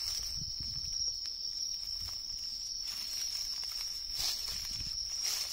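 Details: Tree cricket singing a continuous, even, high trill in autumn in a riverside wood, partly masked by the rustle of someone searching through the undergrowth.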